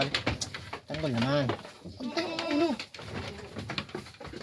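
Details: Pet goats being let out of their enclosure in the Philippines; two wavering, quavering bleats about a second apart over a man speaking Filipino and some knocking.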